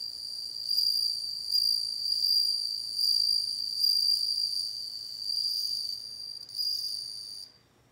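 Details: Steady high-pitched chiming song of a bell cricket, rising and falling in loudness in waves about every second, continuing for over seven seconds before stopping abruptly into near silence.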